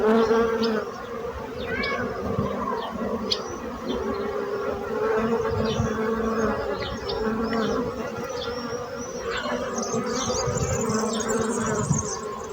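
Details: Droning hum of many bees, steady and layered, with a louder start and small high chirps and clicks sprinkled across the buzz.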